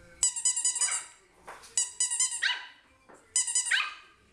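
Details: Puppy barking in three quick bursts, each a string of high, ringing yips with clear tonal overtones, separated by short pauses, in a quiet setting.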